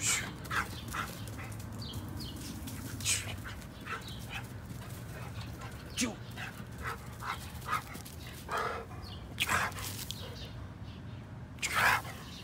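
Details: Brindle pit bull full of energy, playing without any toys; short sharp barks and grunts scattered through scuffling movement noise, with a person's voice at times.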